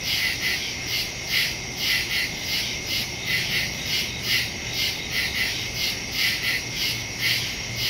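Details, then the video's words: Crickets chirping at night in the woods, recorded September 2, 2023 with a Samsung Galaxy S22 Ultra and Shure MV88+ microphone: high chirp bursts swelling and fading in a loose beat above a steady insect drone. "Crickets in the woods at night"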